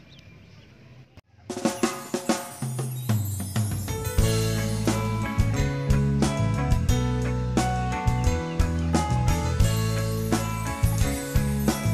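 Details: Background music with a steady drum kit beat and bass throughout, after a quiet second of low noise; no animal calls are heard.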